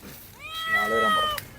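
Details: In Dubai's Karama area, a domestic cat gives one clear, drawn-out meow that rises, holds about a second, then falls away, crying while people feed it scraps; faint background noise.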